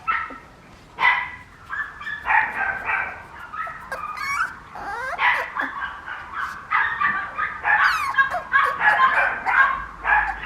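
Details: Papillon puppy named Raja; a run of high, whiny yips and whimpers with short sharp barks, uneven bursts over about ten seconds in a quiet room.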